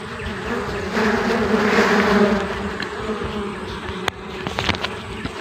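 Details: Honey bees sought for their honey in the wild: a dense, low droning hum swells from about one to three seconds, then eases off, with sharp clicks and knocks toward the end.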